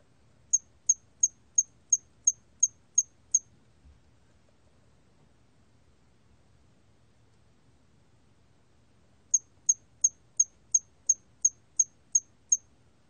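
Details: Two bursts of thin, high-pitched chirps from a hairy cricket (National Institute of Biological Resources, 2020): eight quick regular pulses, six seconds of near silence, then nine more at the same steady pace.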